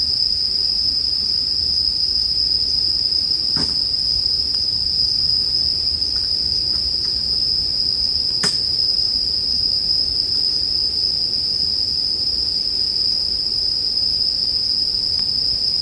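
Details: Sustained bell cricket song on a constant high note fills the whole stretch, broken by two crisp campfire pops around four and eight seconds and light crackling between.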